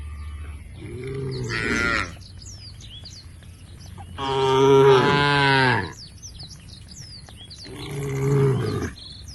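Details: Tame cows in a herd heading to a field at the forest's edge give three drawn-out, low lowing moos, the middle one loudest and longest, while small birds chirp faintly behind them.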